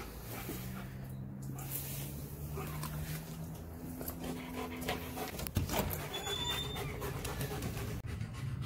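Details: German Shepherd, two years old, playing outside with a ball and refusing to give it up; quick irregular panting with faint whining tones, footsteps and a man talking at the end.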